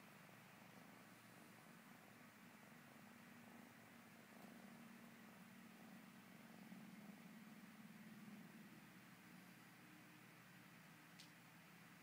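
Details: Female kitten purring as she kneads, a continuous low rhythmic rumble with quick regular pulses, steady throughout, one faint click near the end.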